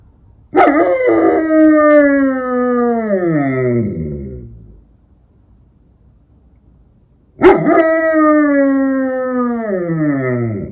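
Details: Eight-year-old female German Shepherd in Ukraine howling at night; two long, drawn-out howls each starting with a sharp onset, holding steady, then sliding down in pitch, separated by about three seconds of silence.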